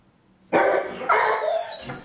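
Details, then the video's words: Dog giving a Dutch-style howl: a loud, harsh, wavering cry that starts abruptly after silence, then shifts to a second, higher-pitched note that holds briefly before fading. "Dutch Howler"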